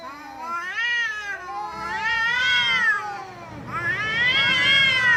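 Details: Domestic cat making funny vocal sounds: three drawn-out, wavering meows that slide up and down in pitch, the last one loud and bright, with a quiet break between the second and third.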